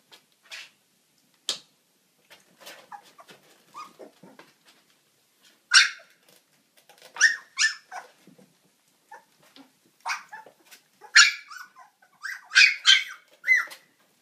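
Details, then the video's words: Siberian husky puppies giving a scattered run of high, thin whimpers and sharp squealing yelps, some with rising-falling pitch, in irregular bursts that cluster more densely toward the end, over a quiet background. "Siberian husky pups."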